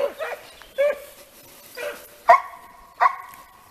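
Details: Segugio Italiano hounds in hare training give five loud, ringing bays over a few seconds. The last two hold a steady tone before breaking off, with quiet pauses between.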